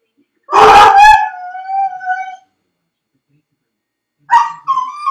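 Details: Left alone in his dog crate, Felix gives two loud barks that stretch into a mournful, falling howl, then after a pause breaks into another bark and rising cry.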